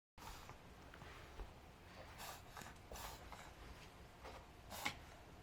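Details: Five-month-old female Pug puppy Adina reverse sneezing indoors around 4pm on May 9, 2012, after suddenly running around wildly; a series of short, harsh, breathy snorting bursts at irregular intervals in a small, quiet room.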